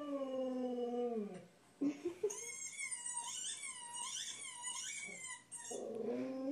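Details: Pet Jack Russell Terrier Toby howls with a slowly falling tone, pauses, then breaks into a run of high, wavering, yodel-like whines that rise and fall rapidly before a lower howl returns at the end.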